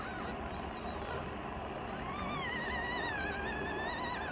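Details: Rescued youngest foster kitten taking on its older sister: soft muffled sounds, then one long, drawn-out, wavering meow that rises and quivers for about two seconds, heard indoors over faint background hum.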